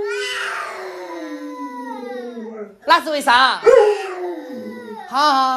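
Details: Pet Alaskan Malamute named Luoluo indoors at home: a long drawn-out howl slides slowly downward for about two and a half seconds, then breaks into short wavering yowls, with a person's voice nearby.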